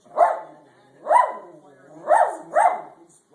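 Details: Jeter the dog gives four sharp, arching yelps, the first two about a second apart and the last two closer together, with quiet gaps between.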